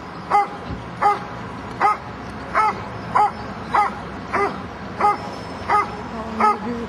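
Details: A Dobermann at an IPO-1 working-dog trial barks in a steady series of loud, short, harsh, throaty barks, a little under one per second.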